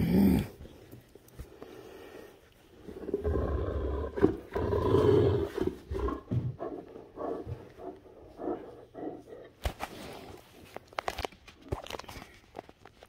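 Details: Great Danes Rhapsody and Wächter playing together during morning fun; deep rumbling growls swell between three and six seconds, then break into shorter grumbling bursts, with scuffling, clicking sounds of rough play toward the end.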